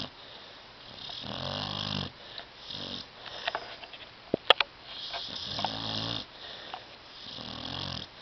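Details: Sleeping pet dog Tyson on a love seat gives rough, buzzing snores in a steady cycle of about three long breaths, with brief small clicks and snuffles in the middle, indoors.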